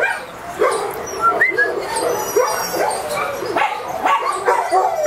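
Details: Border Collie giving a string of short, squeaky whimpers and yips, with brief rising and falling high notes coming irregularly over a steady rustling background.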